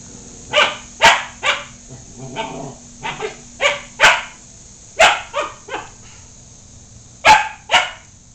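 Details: Dog meeting a household cat it wants to befriend; a run of short, sharp barks, about a dozen in eight seconds, some doubled, irregularly spaced, with a faint steady high hum behind.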